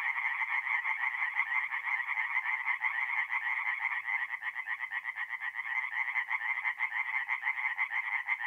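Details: Tree frogs singing after dark at a woodland pond in north-eastern Italy in April, their quick repeated croaks merging into an even, pulsing rasp, roughly two beats per second across the chorus.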